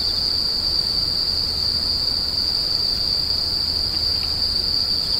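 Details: A constant shrill insect drone, high and even without any break, over a faint intermittent low hum.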